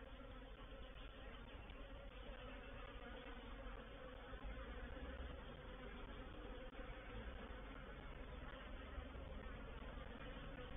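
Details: Honey bees of a reproductive swarm settling into a bait hive, or swarm trap, on 04/07/21, giving a thick continuous drone of countless wings, even in loudness, with a deep low hum beneath the buzzing.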